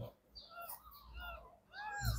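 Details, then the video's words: Three-day-old kittens, eyes still closed, mewing all at once: overlapping high, tonal arched cries, some rising and some falling, in a near-continuous chorus, then a low thump at the end. "Kittens meowing (too much cuteness) - All talking at the same"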